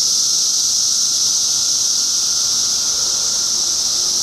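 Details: Periodical cicadas in 2013, a dense unbroken chorus forming a steady high-pitched hiss that holds level throughout, with a faint thin tone running beneath and no other clear sounds.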